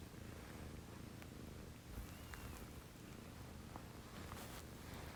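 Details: Early-morning purring at 6 a.m. from a house cat in a home with two female cats, a Scottish Fold and a Munchkin: an even, low, continuous rumble with faint scattered clicks and light rustling.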